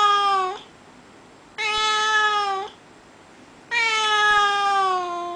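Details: Russian Blue pet cat, known as a voiceless cat yet often vocal, asking to be let outside. Three drawn-out, steady meows, rich in harmonics and sliding slightly down at the end, with short pauses between them.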